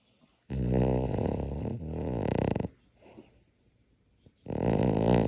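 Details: Dog fast asleep, snoring: a long, harsh, rattling snore lasting about two seconds, then a soft pause with faint breathing, then another loud, rasping snore begins.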